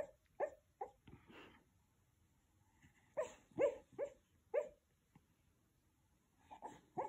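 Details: A sleeping 12-year-old Westie dreaming in a quiet room. It makes short, muffled, mid-pitched woofs and little yips, a few spaced bursts, then a tight run of four or five, a pause, and more at the close.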